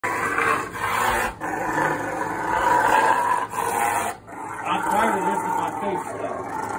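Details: A male pet Rottweiler growling as his owner tries to assert dominance over him: a continuous, rough, harmonic rumble that rises and falls, broken by brief pauses, with a human voice nearby.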